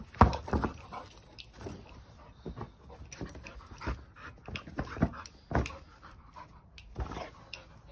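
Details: Boxer dog named Bruno playing with a giant ball, panting and snuffling in short bursts between dull thumps and scuffs of paws and ball, with a steady high hiss behind.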